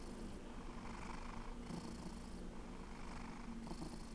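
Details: Steady low purr of Alex, a fluffy rescue cat, with a constant rumble and soft breath hiss rising and falling about every 1.3 seconds.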